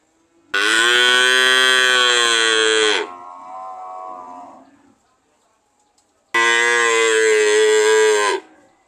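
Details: Cow giving a loud, sustained harmonic moo that fades into a quieter, lower trailing groan, followed after a pause by a second strong two-second moo.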